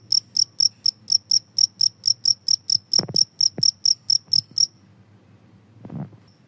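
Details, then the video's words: A cricket chirps rapidly in short shrill pulses about four a second, then falls silent after four and a half seconds; a couple of dull thumps and a brief low rustle follow. The sound is used to scare rats away. "suara jangkrik ampuh bisa mengusir tikus"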